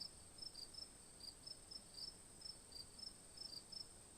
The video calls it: Sound Effect - Cricket